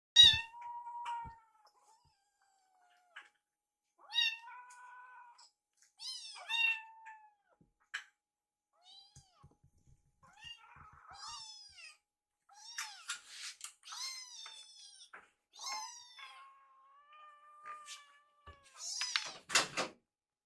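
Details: Foster rescue kittens, two sitting side by side watching a microwave as their food warms. They give repeated high, thin meows, some rising then falling and some drawn out flat, with quiet gaps between bursts and a few soft taps.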